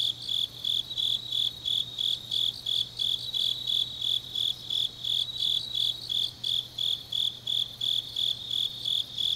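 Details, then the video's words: Autumn grass insects singing on a deep night in Changnyeong, South Gyeongsang, South Korea: a high, bright chirping repeated about three times a second in even pulses, with a steady faint low hum beneath. "깊은밤 가을 풀벌레 소리"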